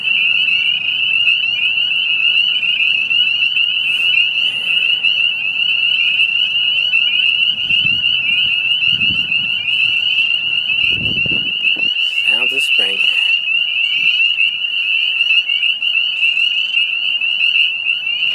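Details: A dense late-March (30 March 2018) chorus of spring peepers, starting late in the season, countless high, piercing peeps overlapping into a continuous shrill ring.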